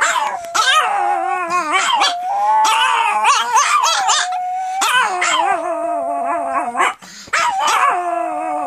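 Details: Several female pet Pomeranians howling together after their owner starts howling: continuous wavering, overlapping howls broken by sharp yips and short barks, pitch rising and falling in waves, with a brief gap near the end.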